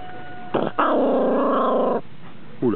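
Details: Blue merle Border Collie puppy, described as already showing a little character, gives a single sustained growling vocalization of just over a second, buzzy and harmonic, with a person's voice briefly before and after.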